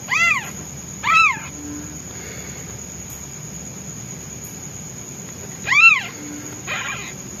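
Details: Newborn white male kitten calling for his absent mother when hungry: two quick arched meows, a silence of several seconds, then one loud meow and a softer one, over a constant faint high whine.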